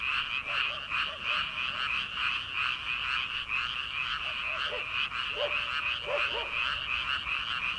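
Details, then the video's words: Early-summer frog chorus rising from rice paddies before transplanting, late at night: continuous throbbing croaks layered into a shimmering wall, with scattered deeper twanging calls clustering toward the end. "초 여름 개구리 울음소리/ 논에서 들리는 개구리 소리"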